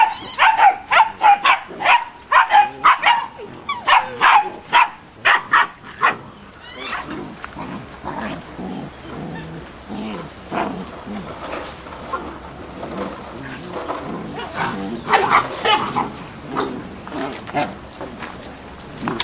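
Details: Malinois puppies, eight weeks old, bark in quick high yaps for the first six seconds, then the calls become scattered, quieter and muffled amid background shuffling and noise.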